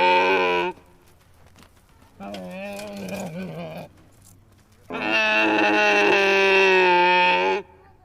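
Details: Camel calls: a long, nasal, harmonic bellow, a shorter wavering, gurgling groan, then another loud, sustained moan lasting nearly three seconds.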